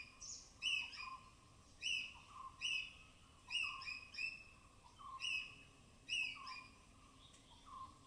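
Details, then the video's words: Native forest squirrels in the rain-soaked canopy of Tamhini Reserve Forest, Western Ghats, giving high-pitched vocalizations; sharp descending chirps each followed by a brief steady tone, repeated at uneven intervals of about a second. "High-Pitched Sounds of Squirrels"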